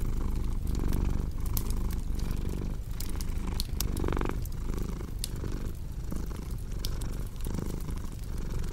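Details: Domestic cat purring steadily beside a crackling fireplace: a deep, low rumbling purr that swells and eases with each breath, roughly every 0.7 seconds, while sharp wood crackles and pops sound over it throughout.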